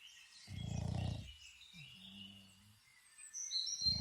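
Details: A Boston Terrier snores outdoors in Ireland in low, rattling bursts, with faint bird chirps behind it.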